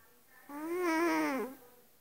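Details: Sleeping cat snoring loudly indoors: one steady, buzzy, richly harmonic breath of about one second that wavers slightly, then dips and fades, in a quiet room.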